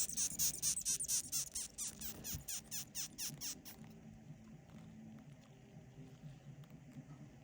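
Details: Feeding moth giving quick, sharp high-pitched squeaks in an even series for about four seconds, then stopping, leaving only a low murmur of background noise.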